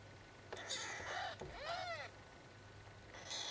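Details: Four-day-old kittens giving two thin, arched mews, the second with a clear rising-then-falling sweep, over a low steady hum and soft rustling.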